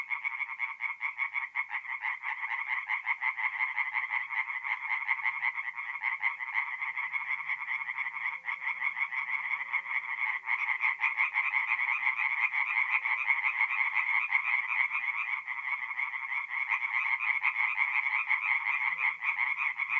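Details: Many tree frogs call from a forest pond by night in mid-April in North-East Italy, their quick, harsh croaks stacking into a steady, loud pulsing chorus that swells toward the end.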